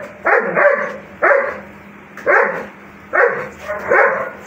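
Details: German Shepherd dog barking, gruff, fairly deep barks, often doubled, repeated about once a second.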